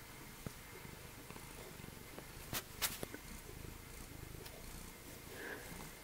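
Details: Snowshoe cat Meshia of Calico Junction Sanctuary, who gets around on three legs, purrs in a fast, even low throb; a pair of sharp clicks breaks in near the middle, otherwise a quiet indoor room.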